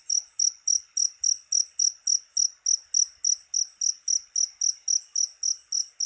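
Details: A cricket's shrill chirps, meant to drive rats away, come as evenly spaced high pulses about three and a half per second throughout, over a faint hiss.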